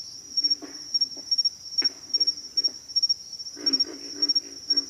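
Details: Low, hoarse grunts from pig frogs, scattered at first and then a dense cluster near the end, set against a continuous shrill insect buzz.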